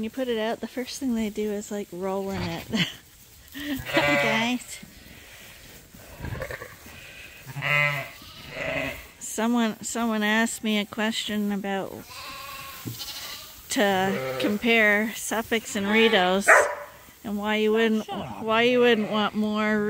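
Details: Lambs being bottle fed at Ewetopia Farms give a chorus of tremulous, vibrato bleats in quick succession, some voices higher and strained, with a person talking in between.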